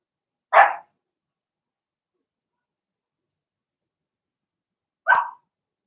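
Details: Blenheim Cavalier King Charles Spaniel puppies from a six-pup litter in their puppy pen; two short, sharp high barks about four and a half seconds apart with silence between.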